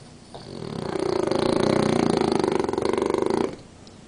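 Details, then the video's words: French Bulldog snoring during an afternoon nap with one eye open: one long, raspy, rattling snore swelling and holding for about two and a half seconds, a rapid fluttering buzz throughout, then stopping abruptly. "BULLDOG FRANCES RONCANDO "DANKO EL RONCADOR""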